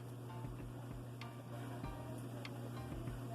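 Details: A steady low electrical hum runs under faint ticking and scattered clicks, with no animal voice.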